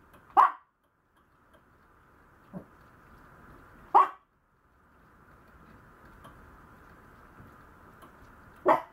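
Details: Young Maltese dog yapping: three crisp barks roughly four seconds apart, with a faint soft yip in between and a low steady hum underneath.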